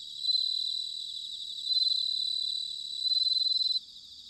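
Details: Bell cricket singing in autumn, recorded in Sanuki, Chiba, Japan: a high, bright ringing trill with three louder pulsing bursts spaced about 1.4 seconds apart, then an abrupt stop near the end.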